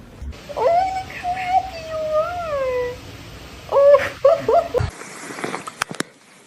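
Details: Domestic cat meowing in a drawn-out, wavering tone over about two seconds, then a few short clipped meows in quick succession, with a faint indoor hum underneath.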